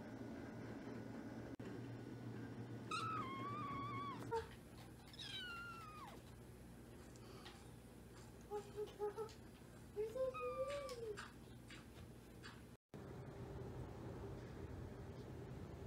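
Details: A kitten gives a string of varied meows: a long falling cry, a wavering one, then several short, softer chirps and mews, some rising at the end. A quiet low hum sits in the background.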